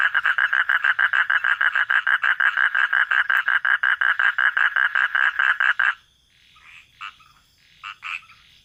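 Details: At night, a frog gives a fast series of rasping, evenly spaced pulses, about five each second.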